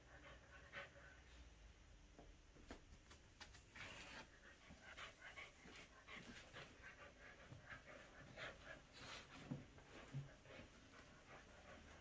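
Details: Captain, a Shih Tzu × Corgi mix dog, battles fiercely with a toy shark called Jaws; quick breathy panting puffs come in a steady run throughout, mixed with soft scuffling and knocks of play.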